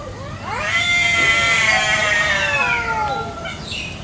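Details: Free-roaming village cats fighting over territory in a garden one morning in Indonesia: a long, loud, wavering yowl with rich harmonics, rising at the start, holding steady, then sliding down and fading near the end.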